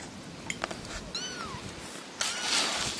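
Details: One of three little kittens gives a short falling meow amid clinking and knocking sounds, followed by a burst of broadband noise.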